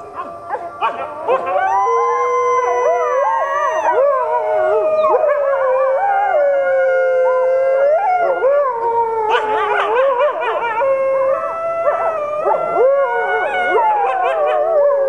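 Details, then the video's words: Captive critically endangered red wolves howling with other wolves at the Wolf Conservation Center in South Salem, New York, including Atka the Arctic gray wolf and Mexican gray wolves. Several overlapping long, wavering howls slide up and down, with brief yips breaking through. "Red Wolf Pack Howling"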